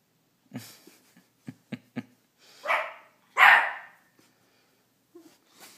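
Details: A teacup Miniature Pinscher barking at his own reflection indoors: soft tapping and clicking sounds, then two sharp, high barks, the second louder and longer, followed by quiet shuffling.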